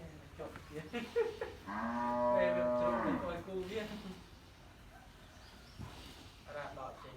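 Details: Japanese Wagyu cattle in a pen at a farm in Ban Kruat, Buriram, Thailand, being readied for delivery to buyers; a single deep, two-second moo with rich harmonics, then quiet pen sounds and faint voices.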